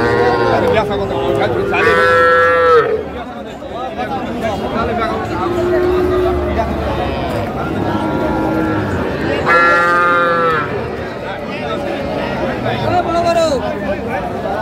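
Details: Bull calves being sold at a crowded cattle market in Comilla, Bangladesh, 14 February 2025: two strong, drawn-out bawling moos about seven seconds apart, with fainter calls between, set against continuous chatter of buyers and sellers.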